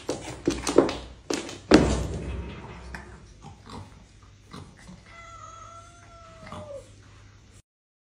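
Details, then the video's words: Cats fighting: sharp, noisy bursts of scuffling and hissing in the first two seconds, quieter scattered thumps, then a steady, drawn-out tonal yowl lasting nearly two seconds before the sound stops. "Cat fight"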